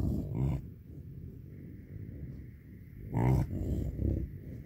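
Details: American bison cows with calves, from a group of 125 cow-calf pairs, being moved onto tame pasture after rain before winter; two loud, deep, growling grunts about three seconds apart, with softer low rumbles between.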